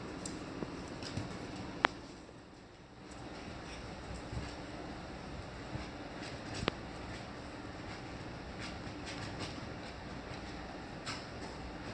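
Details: A quiet indoor room tone with a few sharp clicks and soft, faint noise; no animal call.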